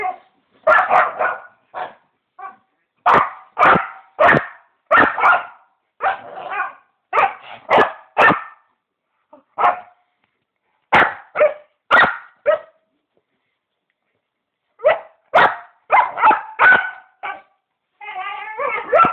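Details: Pet dog making weird noises while going wild: short, sharp barks come in irregular clusters of two to four, with quiet gaps between groups and a wavering whine at the end.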